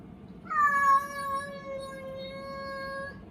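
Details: A Munchkin cat produces one long, steady, tonal meow of nearly three seconds, addressed to an American Shorthair cat. The call begins loudly with a brief upward bend, then fades gradually while holding an even pitch, over faint room noise.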